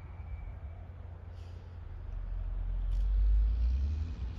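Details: A low vehicle engine rumble swells and fades, with no animal call present.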